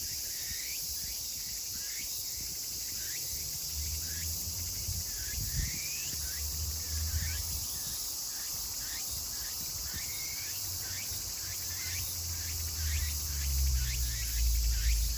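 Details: End-of-summer chorus of Meimuna opalifera recorded 24 August 2020 in Kawagoe, Saitama, Japan; rapid overlapping swooping notes from several cicadas, a continuous high buzz, and low rumbling in the background.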